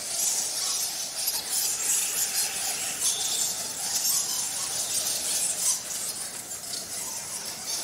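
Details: Fruit bats roosting in the roof of Kitum Cave on Mount Elgon, Kenya: a dense, continuous chorus of high, shrill squeaks, many overlapping calls with no pause, steady in loudness throughout.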